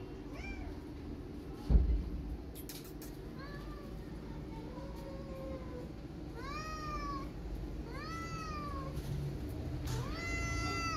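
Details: Street cat walking around a tabby kitten, with a sharp knock near the start, then repeated arching meows rising and falling in pitch, growing louder and more frequent toward the end over low-frequency rumble.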